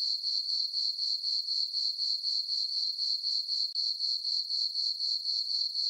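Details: On a farm meadow at night in summer under a full moon, crickets keep up a bright, high, evenly pulsed chirp, about four beats each second, with one brief dip midway.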